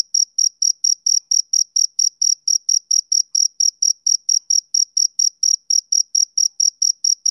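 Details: Rhythmic chirping from a male cricket on a summer evening, a bright high-pitched pulse recurring roughly every quarter second in an unbroken even train, with nothing else audible.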